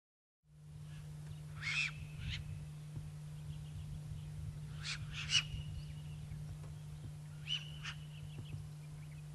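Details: Puku giving warning calls: three sharp, noisy bursts, each ending in a short high whistle, spaced roughly three seconds apart, over a constant low mechanical hum.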